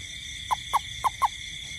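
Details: Garden toad at night in the rain: four brief, low, pulsed notes about a quarter second apart, over a continuous shrill drone of insects.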